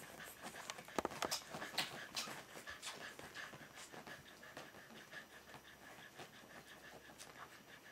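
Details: Berger des Pyrénées puppies two weeks old at Jomgarden, with soft rapid breathy panting repeated about twice per second, a few sharper clicks and faint whimpers early on, steady low background hiss.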